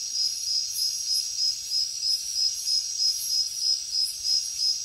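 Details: Night-time jungle crickets in chorus, a shrill continuous ringing tone broken into quick even pulses, roughly three a second, with brief swelling buzzy bursts from other insects above.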